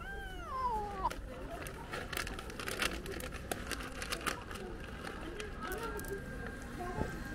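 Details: At a gathering of hungry cats waiting for lunch, one cat gives a clear, descending, plaintive meow at the start, followed by human talk, clinking sounds and a few faint further mews.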